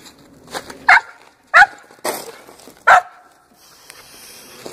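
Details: Aggressive barking from a 6.5-month-old, 62 lb Pinscher male during agitation by a helper working without equipment; four sharp, harsh barks spaced about half a second to a second apart amid low noise.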